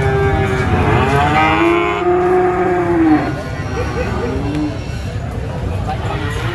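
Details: At the Prambanan animal market, cattle taken there for sale give one long, loud moo lasting about three seconds that bends downward at its end, then quieter bellows and busy market noise.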